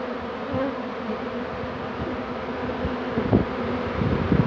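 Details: Honey bee swarm, the second of the day, being caught on 2 June 2019, bees settling on everything including the keeper: dense, steady low droning hum with a few louder buzzing passes near the end.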